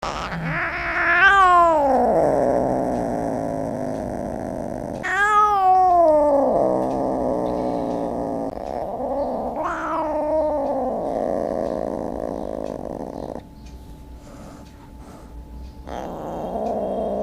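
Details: Cat giving loud, drawn-out wailing calls, each rising then falling in a harsh moaning arc, about three long cries spaced several seconds apart, followed by quieter sustained tones.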